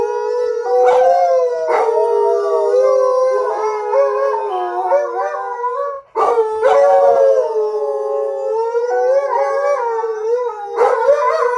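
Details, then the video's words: Howling Alaskan Malamutes, Dotty joined by her mother Sojou and then Fish after a foam-pipe sound triggers them. Two long bouts of overlapping sustained howls, rising and wobbling, with a short gap for breath between them. "What's All That Noise About Howling?"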